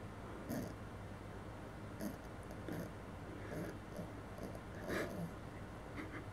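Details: Maggie, a female Maltese, asleep in a bed she shares with a Bichon, snoring: soft, breathy, noisy bursts recurring about every second and a half over a steady low indoor hum.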